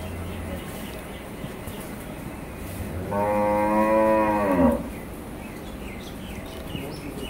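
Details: Holstein Friesian cow in her second lactation, kept on a farm with her heifer calf, giving one long, loud moo lasting about one and a half seconds, rich and harmonic, falling at the end, amid quiet farm background.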